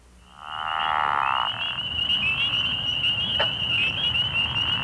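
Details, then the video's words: A pickerel frog in Missouri gives a low, rattling snore lasting about a second over a steady high trill. The species breeds in March and April in woodland ponds, river sloughs and water-filled ditches. "Here is the voice of the Pickerel frog. (Pickerel frog call)"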